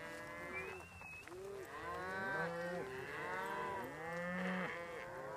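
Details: Cows pushed along by border collies under hand signals, voice commands and whistling: a chorus of overlapping moos, arched and wavering in pitch, with a brief high whistle near the start.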